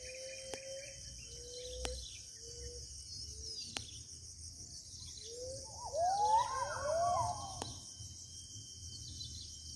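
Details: A gibbon in the interior forest of Kalimantan gives drawn-out hoots, then a run of swooping, rising whoops over a steady insect hum.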